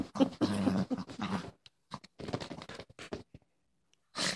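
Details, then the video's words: Female Boston Terrier putting on a tough act indoors: a dense run of low throaty growls and grunts in the first second and a half, then scattered shorter rasps and a final brief burst. "Boston terrier thinks she's tough"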